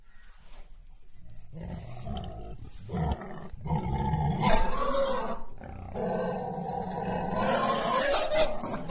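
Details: Tiger giving a series of deep, rough roaring growls, sustained and rumbling, in bursts separated by short pauses, growing louder toward the middle and staying strong to the end.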